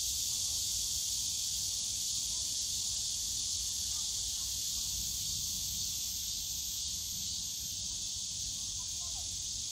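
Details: Steady cicada drone in the Yongsan Family Park bamboo forest in summer, a thick high buzzing wall of sound with a slight flutter in its top layer, over low park background rumble.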